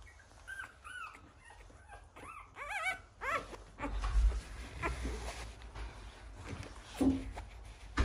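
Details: One-week-old male American Bully puppy from a Romanian kennel gives a quick series of thin, arching whimpers and squeaks over the first three seconds, followed by muffled bumping and rustling.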